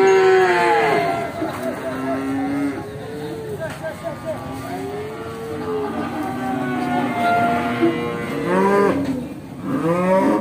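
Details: Pegon cross cattle at Bekonang animal market in Sukoharjo: drawn-out, wavering moos with rich harmonics, one after another every few seconds, some rising and falling in pitch, over a busy background of crowd noise and traffic.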